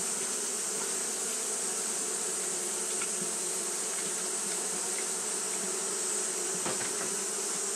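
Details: Hot-day fanning by Japanese honey bees: an unbroken, even buzzing drone with stacked low tones, one brief click late on, and a steady high hiss throughout.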